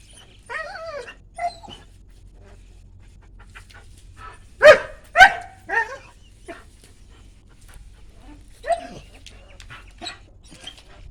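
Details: Dog letting out a short burst of two or three quick barks in the middle, followed by a softer one later, amid quiet human talking and a low background hum.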